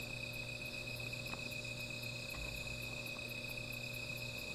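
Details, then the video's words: Night insects around a small fire: a very high, evenly spaced ticking about three times a second rides over a steady shrill drone, with a few soft crackles and a low hum. "Sound of Insects"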